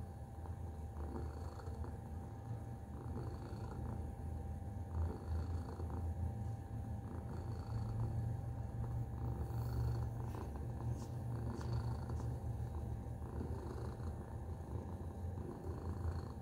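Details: Long, steady purring from Tacy the domestic cat, a thick low drone that strengthens midway and carries on evenly, with occasional faint ticks and rustling.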